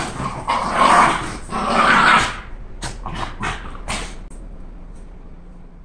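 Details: An excited Shiba Inu named Candy, anticipating her walk, utters two long hoarse, whining cries, followed by several sharp taps and clicks, then near silence.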